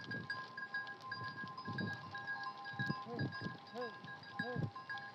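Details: Morning on a nomadic sheep farm, the flock released from its open-air fenced pen to graze fresh grass; a few quavering bleats near the end, with murmuring voices and a steady tonal background.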